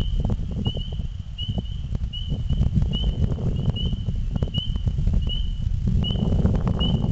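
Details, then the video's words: Frogs singing just before nightfall in spring, announcing the season's arrival: a high, clear peep repeats roughly every 0.7 seconds, about ten in a row, over a heavy low rumble and scattered clicks. "Spring time Frogs Singing"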